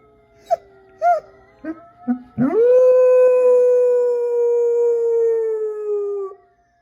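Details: A pet dog howls indoors: a few short yelps, then one long sustained howl holding a steady pitch for about four seconds before slowly dropping and stopping.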